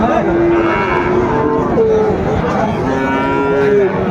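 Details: Sahiwal bull calves at a cattle market in Shariatpur, Bangladesh, on 20 February 2025, bought by a farmer: several long, low, steady moos, some overlapping, over a constant loud crowd murmur.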